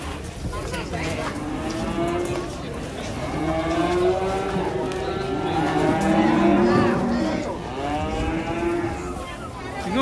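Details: Agitated cattle being unloaded from a truck give long, drawn-out low moos, several overlapping and swelling through the whole stretch, with human voices faintly in the background.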